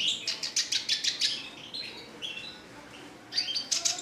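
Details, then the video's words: Red siskin, a caged songbird, singing in a lively, continuous style: rapid bursts of high, buzzy chirps, then a short pause and a fresh run of twittering notes. "RED SISKIN CLASICC MEWAH GACOR 24 JAM"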